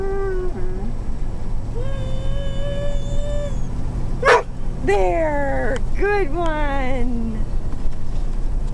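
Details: Zeenah, a dog, inside a motorhome, 'talking' because she wants her bone: drawn-out whining tones, some held steady and others rising and falling in short yowling bursts, mixed with a woman's voice and low engine rumble.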